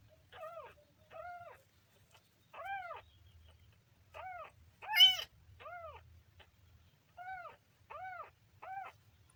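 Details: Kitten mewing repeatedly: about ten short, soft, arched mews in uneven bursts, one louder and higher squeal near the middle, heard quietly with a low background hum.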